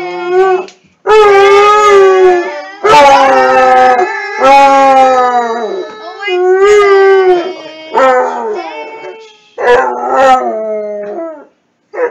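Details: Basset hound howling in a run of long, sustained tonal howls with rich harmonics, each lasting one to two seconds and wavering slightly in pitch, separated by brief breaks, with faint whimpering at moments.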